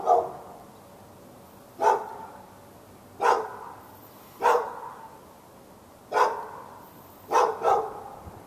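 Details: Sharp single barks at a steady pace, roughly one every one and a half seconds, ending in a quick pair, from a fenced dog in Raleigh, North Carolina, barking at neighbouring dogs through a February 2012 morning and afternoon.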